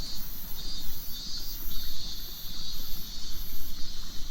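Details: A summer cicada song in Japan, rendered MIIIIINMINMINMIN and a symbol of summer stories. It is a sizzling high drone with quick rhythmic throbbing and a faint upper pulsing layer, set over a dull background rumble.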